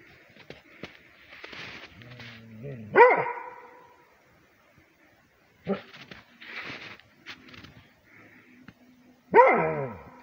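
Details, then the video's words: Rhodesian Ridgeback, a heavy barker, barking on command as it reacts to a howl made by its owners; two loud, deep barks several seconds apart, separated by softer rustling and muffled noises. "Rhodesian Ridgeback Barking"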